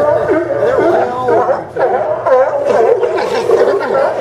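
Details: Chorus of sea lions at the Newport Sea Lion Docks in Oregon, September 20, 2015; rough, wavering barks and moans blend into a continuous din with a brief lull midway.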